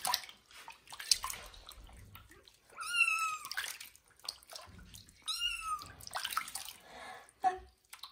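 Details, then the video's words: Kitten Johnny meows loudly while being bathed in a bathroom for the first time. Two long, strained cries bend downward about two seconds apart over steady splashing and running water. "First bath for kitten Johnny and its loud meow"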